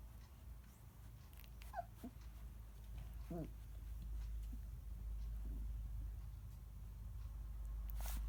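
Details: Galgo puppies, 14 days old, giving a few short, thin whimpers: one gliding downward near the two-second mark and a wavering squeal around three and a half seconds, with a steady low room hum throughout.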